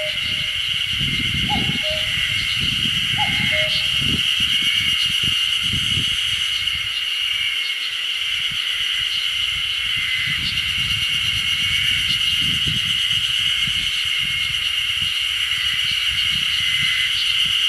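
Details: Ezo spring cicadas keep up a steady, high, shimmering chorus while a common cuckoo calls twice, near Odashirogahara, Okunikko, Japan, on 10 June 2015.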